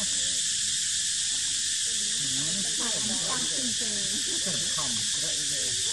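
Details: Monkeys, including baby monkey Dito with mother monkey Daisy, while three babies play on a tree branch: repeated squeaky rising-and-falling calls crowd the second half, over a steady high insect buzz.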